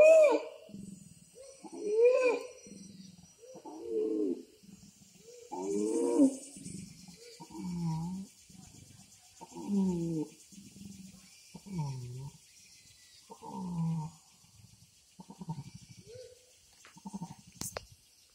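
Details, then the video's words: Orangutan calling to attract a female, as a local guide explained; a long series of pulsed, moaning bellows roughly every two seconds, starting with higher tonal hoots and fading into lower groans, with faint insect hiss behind. "The voice of orang utan"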